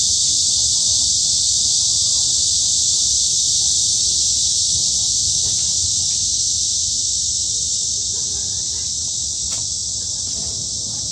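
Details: High-summer cicada chorus in the woods of Hanbat Arboretum, Daejeon, Korea, a steady piercing buzz that fades slightly toward the end, with a few faint ticks and low rumble underneath.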